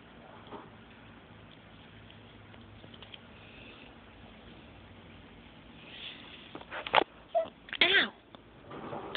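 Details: Two-month-old half Turkish Angora kitten from a litter of seven born 5/18/11, indoors; mostly quiet room noise, then a few short, high, arching mews close together near the end.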